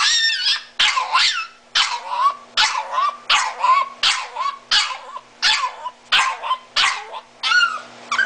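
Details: Disabled and blind Miniature Italian Greyhound calling for mommy in a steady series of about eleven shrill, wavering, half-second screams, closely spaced and fairly even in loudness.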